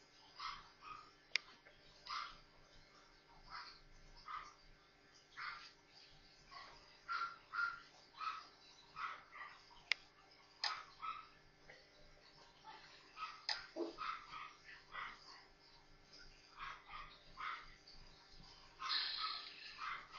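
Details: Four tiny Maltese pups, just born, playing together; a long run of brief high-pitched squeals and peeps, irregular and often clustered, with an occasional sharp click and steady low hum.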